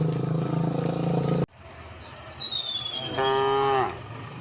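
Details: A rural path where dozens of tame cows walk toward a green hill. A rumbling, noisy passage gives way to a thin, descending bird whistle, then one short, full-toned moo near the end.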